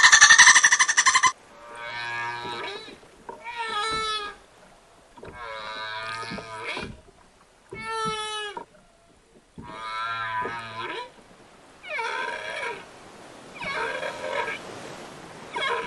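A whale sings rich, harmonic moans that swoop up and down, one after another every second or two.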